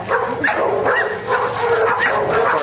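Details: Luther, a Giant Schnauzer, during Schutzhund training on 31 January 2009, working in prey: sharp barks repeat roughly every half second, with a trainer's voice faintly behind.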